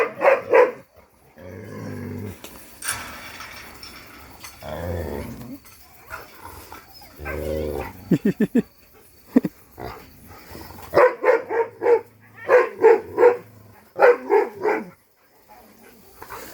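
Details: A Pungsan dog, tied up and reacting when approached or attacked during a hunt-and-chase scene, barks in scattered single barks between knocking and rustling noises, then in fast clusters of three to four barks near the end.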